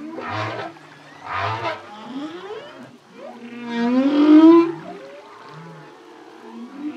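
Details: Humpback whale song from a lone male, with deep grunting pulses, a slow upward-sliding whoop and bubbling, rasping bursts between the low notes.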